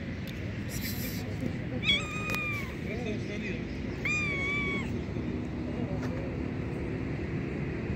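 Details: A homeless black kitten, hungry and needing food, meows twice: drawn-out, wavering cries about two seconds apart over a steady low outdoor rumble.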